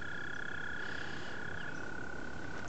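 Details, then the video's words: Frog chorus at a pond, described as frog music: a steady, unbroken trilling drone holding one pitch, with a fainter higher tone above it and a low rumbling background hiss throughout. "okay you heard the wonderful Frog music woo"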